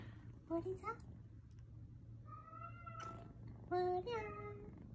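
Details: Kitten crying after rescue, one of several found in a dark sewer, lying motionless after a fall, or crying in bushes for hours. Three drawn-out, wavering meows, the middle one long and level, the last bending downward, over a steady low hum.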